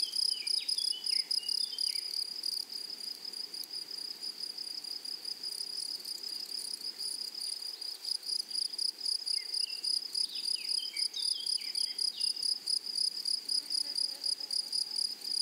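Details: Grasshoppers singing in a flowering meadow, wild prairie habitat; dense shrill chirping pulses roughly four a second, overlaid early and midway by descending twittering notes from small birds.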